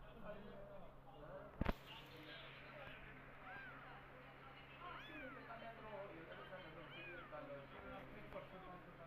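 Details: Cat meows around a mother cat that lost her own kittens and has adopted orphaned kittens, nursing them with milk; several thin, arching mews rise and fall over steady low background hum, with one sharp knock early on.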